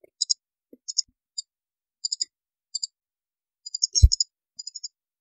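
A stoat gives quick, high, thin chirps in clipped pairs, with a dull thump near the end.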